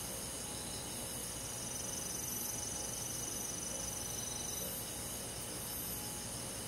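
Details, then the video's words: Crickets on a summer night, countryside insect chorus: a steady, shimmering high drone of layered tones with no distinct pauses, constant in loudness throughout. "여름밤 잔잔한 풀벌레소리"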